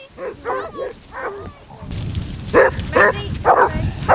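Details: Basset Hounds on a pack walk of 16 hounds on Marlborough Downs, North Wiltshire, in December: a few harmonic bays and yelps, then louder overlapping barks over low wind or ground rumble.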